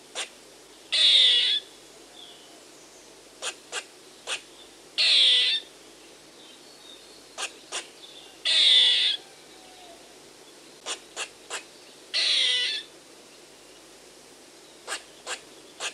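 A squirrel's call comes as rasping, buzzy bursts, each under a second long, repeated roughly every four seconds. Short dry clicks and ticks fall between the bursts, and the background is otherwise quiet.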